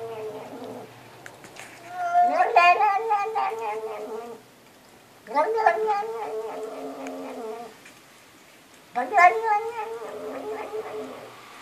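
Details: Three long, warbling meows from a house cat that seems to talk like a person. The calls come about every three and a half seconds and each bends and wavers in pitch, with quiet pauses between them.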